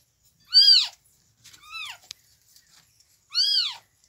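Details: Newborn kittens calling in the morning: three thin, high, arching cries, each rising then falling, spaced over about four seconds, with the middle one softer. No other sound is present.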